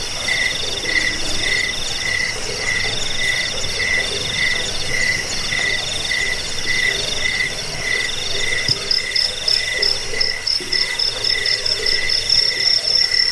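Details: Chorus of crickets, played to drive off rats, help sleep and train songbirds; several overlapping high chirping voices pulse steadily, with a higher trill growing louder toward the end.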